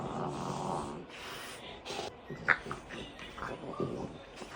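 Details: French Bulldogs wrestling in play, giving off rough, breathy snorts and snoring-like grunts in noisy bursts, with a sharper snort midway and faint voices in the background.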